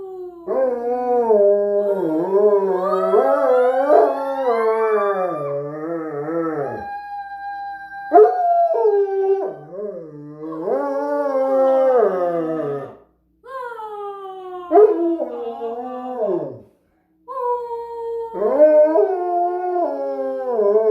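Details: A dog howling together with a person; long wavering howls that slide up and down, rising then dropping, in about five bouts separated by brief pauses.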